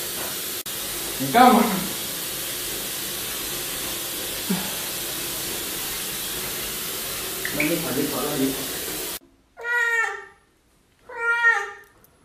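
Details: Domestic cat reacting to being bathed: after a stretch of background music with faint noises, two loud, drawn-out meows arrive close together near the end, each rich in harmonics.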